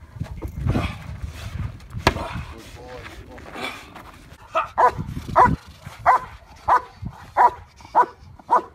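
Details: IPO trial preparation with a decoy, Bay Area K-9 Training: human talking and a shout come first, then German Shepherd Yukon vom Patiala fires seven loud, regular barks, each roughly two-thirds of a second apart.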